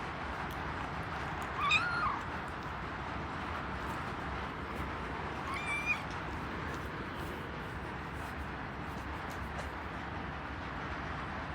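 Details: Domestic cats indoors as newly rescued kitten Lara meets older cats Kuu and Noa around feeding time; two short meows, the first rising then falling, the second about four seconds later, over a steady hiss of heavy rain.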